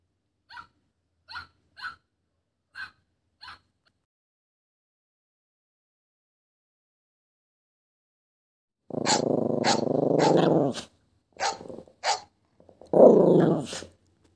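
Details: Chihuahua in the morning barking: a run of five short sharp barks about once a second, then after a silence harsher, louder barks and growly yaps in bursts.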